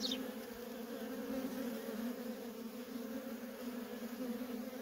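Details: Constant low hum of worker honey bees busily flying at a feral colony, steady and unbroken, with a single brief high chirp right at the start.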